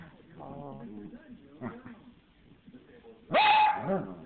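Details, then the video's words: A small dog with a big voice makes soft, talk-like grumbles and murmurs, then ends with a single loud, drawn-out bark. "Little Dog Talking"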